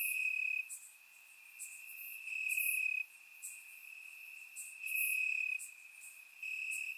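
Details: Crickets singing at night in summer grass in Bulgaria, surround-recorded: a constant piercing trill punctuated by louder chirping spells of one to two seconds, with faint high buzzing above.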